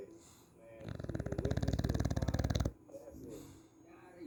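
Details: English bulldog named Bacon snoring: one loud, rattling snore of rapid fluttering pulses that lasts nearly two seconds, with soft breathy sounds before and after in a quiet indoor setting.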